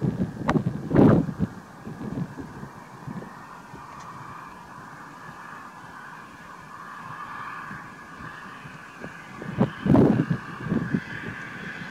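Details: Wind rumble and microphone buffeting, with a few louder thumps near the start and end; no animal calls can be picked out.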